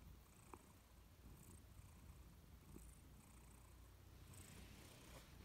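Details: A Persian cat named Louis purrs softly while dozing on a warm sofa. The deep, even rumble is accompanied by faint airy hisses and an occasional small click.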